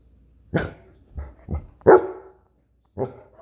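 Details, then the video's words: Goldendoodle barking indoors: four short, sharp single barks, irregularly spaced over a few seconds, with silence between them. "The Goldendoodle barking"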